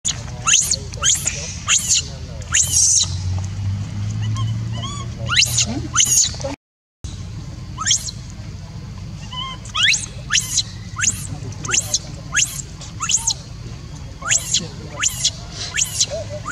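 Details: A newborn baby macaque gives rapid, high, squeaky chirps, calling out for its mother.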